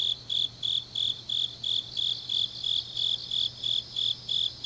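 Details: Autumn grass insects on a deep night in Changnyeong, South Gyeongsang, Korea: a high, steady chirp pulsing about three times a second, with a fainter continuous trill layered above and a low steady hum beneath.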